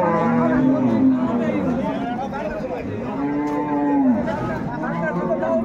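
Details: Cattle at Ambari livestock market near Dhaka, Bangladesh, where pregnant dairy cows are shown for sale on 21 May 2024; two drawn-out low moos, steady then falling at the end, over crowd chatter.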